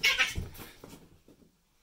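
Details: Two male cats fighting indoors: a sharp, high screech opens, followed by a thump and a few lower, fading growly scuffling sounds that die away into quiet.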